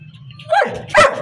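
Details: Labrador Retriever puppy in Pakistan gives two short, sharp yelping barks about half a second apart, the second louder and brighter, with a low background hum before them.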